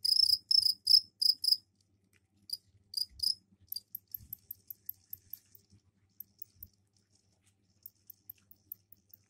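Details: Caged crickets calling indoors after their container was cleaned: a few loud, high chirping bursts in the opening seconds, then the trilling breaks off into scattered faint clicks and brief high ticks.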